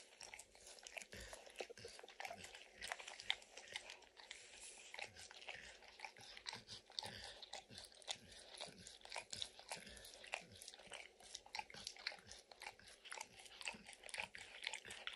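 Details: Max, a dog, licking peanut butter and kibble stuck in an orange lick mat, in a steady stream of wet, smacking tongue clicks and soft crunches. The clicks come several per second, with no voices.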